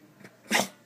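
A small dog, a Shih Tzu, lets out a single short, airy snuffle, almost a sneeze. The burst is noisy rather than tonal, the kind of little sound it makes while begging for food.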